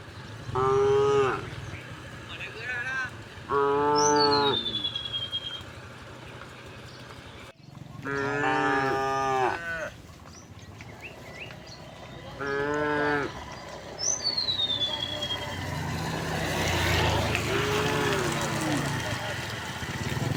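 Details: Cows in a herd walking home through village streets on a bright morning. Several deep, drawn-out harmonic moos come in pairs, separated by pauses, while a bird gives thin, falling whistles in the background.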